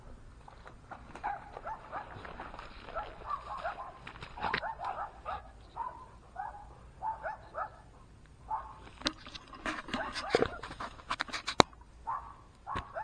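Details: Giant Schnauzer dog giving a series of short, tonal whining and grumbling sounds, each lasting about half a second, spread across several seconds, followed near the end by sharp clicks and knocks.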